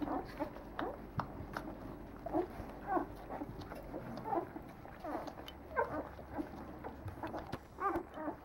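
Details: Nine-day-old Leonberger pups in a French breeding kennel give short high squeaks and small grunts at irregular intervals, several voices overlapping over a faint low hum.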